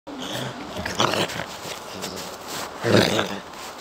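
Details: TinTin, a pet poodle, guards its owner and won't let anyone come near: two sharp, loud barks about two seconds apart, the first near one second and the second near three, over a steady background hiss.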